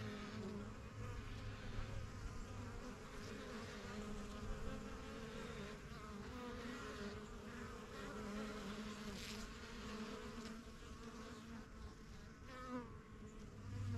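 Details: Swarming flight of honey bees at a backyard yellow hive, new in spring 2023 and the strongest colony, bees flying in and out; constant hum of many wings, individual bees buzzing past at varying pitches.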